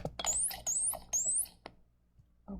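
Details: Dolphin call played back in a science lesson: three high squeaky whistles, each sweeping upward from lower to higher pitch, evenly spaced within about one and a half seconds, with faint clicks and room noise around them.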